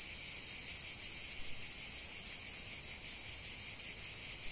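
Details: Cicada chorus heard as a loud, even, high hissing buzz with fast rhythmic throbbing, several insects blending into one continuous wall of sound.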